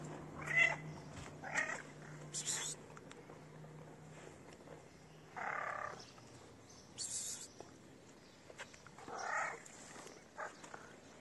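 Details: Dirty cat begging for food with a nice meow: several short harmonic meows spaced one to two seconds apart, some softer and breathier, over a low steady hum and quiet outdoor noise.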